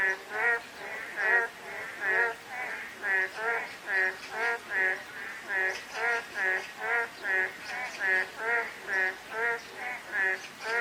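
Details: Frogs calling on a drizzly day: rapid harmonic croaks repeated steadily, more than one per second, with several callers overlapping in an even rhythm over a soft hiss of light rain.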